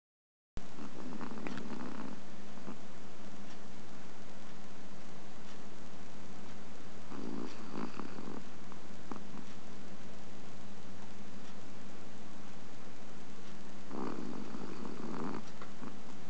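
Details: A Chihuahua napping in August 2010 snores softly: three short, breathy, noisy bursts roughly six to seven seconds apart, each lasting about a second, over a steady low electrical hum.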